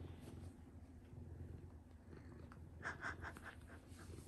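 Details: Late-night indoor purring from pet cat Hinoki while being cuddled by the father of the house; a soft, continuous low rumble, broken near the middle by a couple of brief snuffly breaths or rustles.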